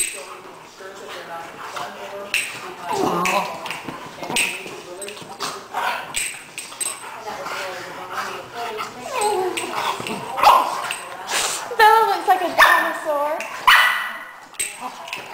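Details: A Doberman, Bella, scuffles with a newly arrived cocker spaniel, Addie: rising and falling whines and snarling growls come in irregular bursts, getting louder toward the end, while people talk in the background.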